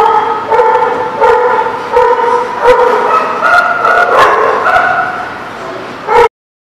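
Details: Dog barking at The Barking Lot, recorded 7/10/17: a run of short, tonal, harmonic barks repeated roughly every half to one second for about six seconds, some overlapping, ending with one last sharp bark before silence.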